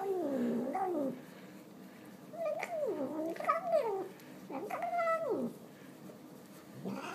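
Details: A fat domestic cat enjoying a pile of tuna, giving drawn-out wavering meows that rise and fall, several in a row with short pauses, in a quiet indoor room.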